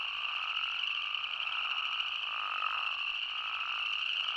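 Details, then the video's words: Spadefoot toads in Arizona calling together as a dense chorus: a steady high droning band overlaid with a lower, loosely pulsing bleat that blurs into a continuous wash, with no other clear sounds. "Arizona's Spadefoot Toad | Nature Sounds"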